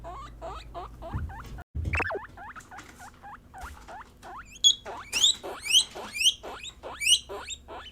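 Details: Pet female guinea pigs, Peruvian, English and Teddy breeds, calling to signal what they sense and express emotion; a run of short hooked squeaks gives way to loud, sharply rising shrill whistles repeated about twice a second.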